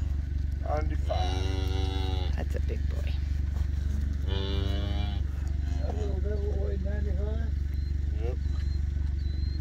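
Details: Black Hereford calf being weighed on a calf scale during processing; two long wavering bawls amid a steady engine drone, with people talking and asking its weight.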